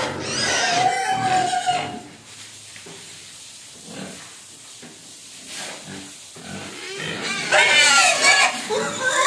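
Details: Hungry pigs crying and begging for food: harmonic squeals in loud bursts at the start and again near the end, with a quieter stretch of scattered grunts and faint squeaks between.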